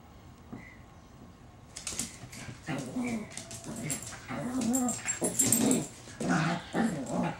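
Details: Pet Chihuahua that tamed a feral cat, playing indoors: after a quiet start, a run of short low growls and sharp yips comes irregularly, about once a second, mixed with scuffling and rustling noise.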